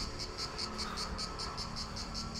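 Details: Cicadas in scrubland near the village of Perades on Corfu, Greece, where cicadas are everywhere, give a steady, high, rasping buzz pulsed about five times per second.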